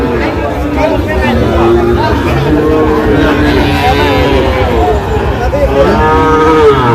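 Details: At a Chuadanga, Bangladesh market on 19 August 2025, several Sahiwal bull calves low at once, with steady, overlapping moos and a few higher, bending calls, while people bargain loudly in the background.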